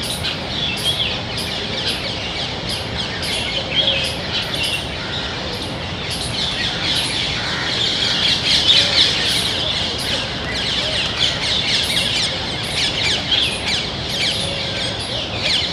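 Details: Indian palm squirrel giving a fast run of sharp, high chips, about four each second, kept up steadily throughout, over a constant outdoor hiss with a few faint bird chirps mixed in.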